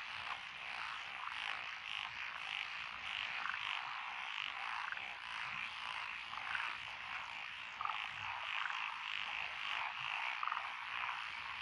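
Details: Frog chorus from lotus rice paddies along a country road in Echizen, Fukui, Japan, June 2021, with tree frogs and other paddy frogs: dense overlapping croaks and trills filling the night, pulsing steadily without pause.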